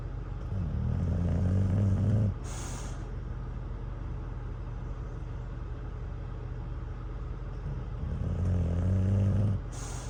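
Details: English Bulldog Cruz sleeps at a truck stop after playing with a campfire toy. Two drawn-out, low, throaty snores come about six seconds apart over a constant engine drone, each followed by a short hiss of air brakes.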